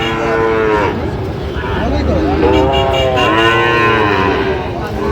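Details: Cattle, including Sahiwal bull calves, low repeatedly at a Chattogram livestock market on 31 October 2025. Arched, wavering moos overlap one another every second or so, with constant human voices and crowd noise behind.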